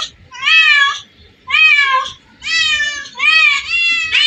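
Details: Many cats gathered in one place; four strong, drawn-out meows about a second apart, bending up then down in pitch, with quiet low rumbling between calls.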